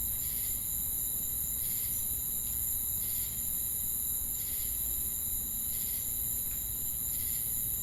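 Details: Crickets produce an unbroken piercing high whine, with pulsed buzzy bursts returning about every one to one and a half seconds, against steady low-frequency background rumble.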